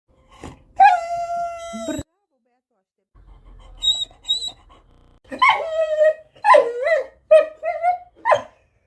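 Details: Beagle indoors giving a drawn-out howl, then after a pause a string of short, wavering whines and yelps rising and falling in pitch, with faint high tones in between.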